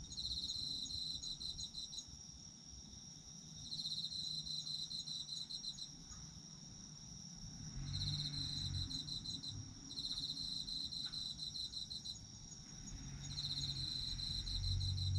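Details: Autumn insects calling, recorded for sleep listening: bursts of rapid high pulsed chirping, each lasting about two seconds and returning roughly every four seconds, over a constant shrill insect hum and low background rumble.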